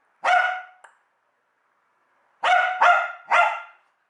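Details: Domestic dog barking because it hates the USB plug/unplug sound: one loud bark with a small click after it, a pause of over a second, then a quick run of three ringing barks.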